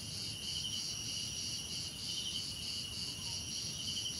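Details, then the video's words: Crickets chirping steadily, pulsing rhythmic bursts over an unbroken shrill high insect hum, with little else audible. "Relaxing Cricket Sounds"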